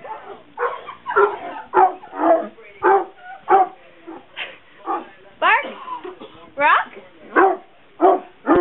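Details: Pet dog barking on command on Election Night 2008 in support of Obama; a series of sharp barks, about one every half second, mixed with rising whiny yelps partway through.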